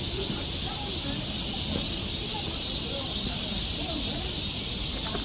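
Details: Cicadas singing in a summer forest along a trail in Seoul, Korea: a steady, dense, hissing drone fills the air without a break, with faint low rumbling and scattered soft noises beneath.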